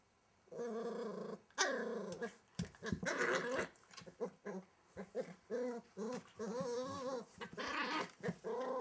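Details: Welsh Terrier puppy hiding under a wardrobe, growling in bursts of rough, harmonic snarls and whiny rising tones, sounds broken by short pauses throughout.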